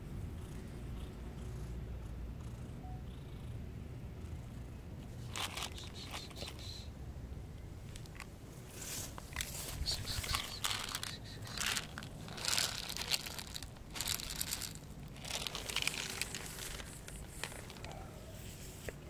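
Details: Street cat living on a tree stump, purring softly and steadily as a low continuous rumble, overlaid by rustling, scratchy handling sounds and scattered sharp clicks.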